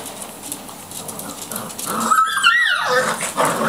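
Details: Five-week-old Labrador puppies, two black and four chocolate, running riot together in a kitchen. Low scuffling gives way midway to a burst of squeaky, wavering whines and yelps that rise and fall in pitch, then soft shuffling noises.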